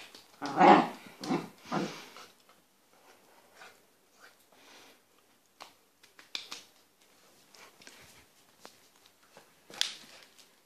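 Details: A male Pembroke Welsh Corgi puppy at playtime, running and jumping at feet with a toy or bone in his mouth, gives a few short, rough playful growly bursts, then faint clicks and rustles.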